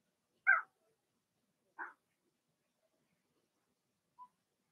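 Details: Blenheim Cavalier King Charles Spaniel puppies from Remy's first litter of six, born in early March, in an indoor puppy pen during potty training. Two short, high yelps come about a second apart, then a faint thin squeak.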